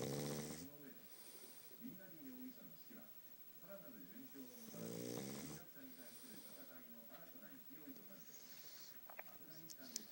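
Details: Loud snoring from Futa, a sleeping pug with almost no nose: a coarse, rattling snore at the start and another about five seconds later, with wavy, wheezing breaths and small clicks between.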